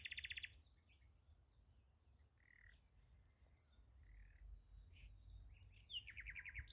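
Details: Night beside a sunflower field, crickets keeping up an even, high pulsed chirp, broken at the start and near the end by louder buzzy bursts from another caller, over a soft low hum.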